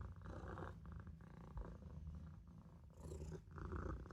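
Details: Young Maine Coon cat napping in a sink, purring; continuous deep rumbling purr with regular breath-paced swells, each lasting under a second, close and clear.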